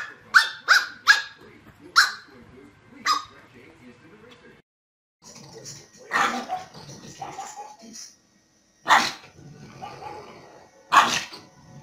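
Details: Pug barking in a short burst of sharp yaps, then a pause and more spaced barks mixed with human speech, in a funny pet compilation.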